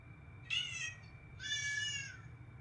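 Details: Two drawn-out meows from a pet cat, the first short and bright, the second longer and flatter, over a quiet background hum.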